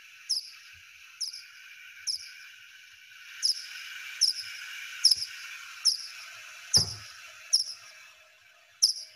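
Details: Little brown bat (Myotis lucifugus), wild, at night: echolocation pulses above 40 kHz, slowed to human hearing into short downward-sweeping chirps repeating roughly once a second, higher-pitched than big brown and hoary bats.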